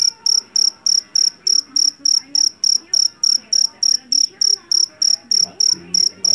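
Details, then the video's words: Loud-voiced Javanese field cricket, jangkrik jeliteng, caught in a rice field: piercing metallic chirps repeat at a brisk, even pace of about three per second, some twenty in total, above quiet indistinct low sounds. "SUARA JANGKRIK PENGUSIR TIKUS SUARA ASLI"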